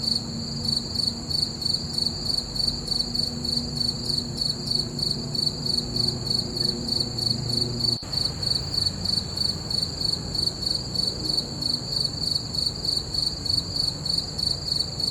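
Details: Night chorus of crickets beneath a full moon, a continuous high-pitched pulsing chirp repeating roughly three times a second, even and unbroken, over a soft low background hum.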